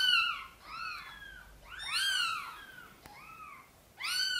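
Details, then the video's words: Gentle meows from Sonny, a mother cat wanting help carrying her tiny kittens into the nest. Several bowed, harmonic calls, some closely overlapping, with a quieter, shorter meow before the final strong one. "Mother cat is gently meowing, asking for help to bring her tiny kittens into the nest"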